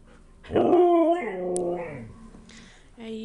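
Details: Siberian husky, one of three named Mishka, Narla and Shiloh, singing during play: one loud, drawn-out howl-like vocalisation whose pitch slides downward over about a second and a half, followed by a short, softer yelp.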